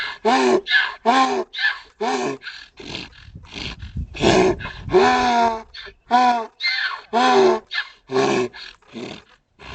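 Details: A donkey brays in loud, rasping bursts that alternate between wheezy high notes and deeper, groaning harmonic swoops, separated by brief gasping pauses, with faint rumbling noise between calls.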